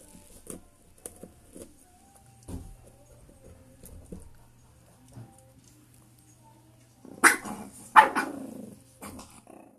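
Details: Shih Tzu pups recorded on 1 January 2022. The first seconds hold quiet scattered clicks and soft knocks. Near the end come two loud, sharp, harsh barks in quick succession, followed by faint rustling.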